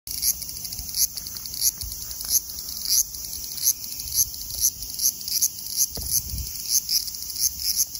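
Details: Large brown cicada (Graptopsaltria nigrofuscata) singing lively at 24 degrees (75 °F): a continuous high sizzling drone with rhythmic louder pulses about every half second, banded energy at high pitch throughout.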